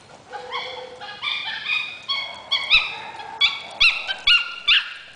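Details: A female Maltese dog chasing a Boston Terrier around the yard 'talks' like a monkey in high, wavering whines that rise and fall, broken by sharp yips; the dogs are panting hard.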